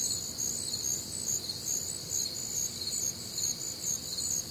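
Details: Crickets and other nocturnal insects on a warm, humid Midwestern summer night; a dense high-pitched chorus of pulsing chirps, about two pulses each second, layered in several bands over faint low background hum.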